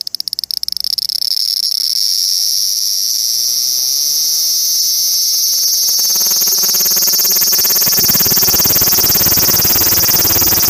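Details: Japanese cicada calling loudly with a dense, high-pitched buzzing drone that swells in after a second of clicking and holds steady, a lower rattling pulse building beneath it over the final seconds.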